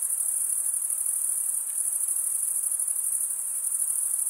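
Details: High, insistent cricket trill, the chirping of stridulation, running steadily with a faint rapid pulsing texture over soft background hiss.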